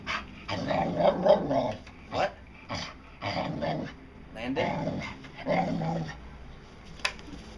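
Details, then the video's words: Dotty, a pet dog, making talking-like growly vocalizations imitating "I want some", short voiced bursts repeated rapidly in uneven rhythm, with a person's voice prompting her indoors. "Talking Dog"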